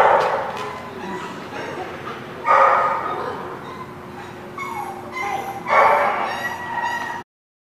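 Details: Dog barking in loud, harsh bursts, with clear barks near the start, in the middle and again toward the end. Quieter yips come between them over a steady low hum, ending in sudden silence.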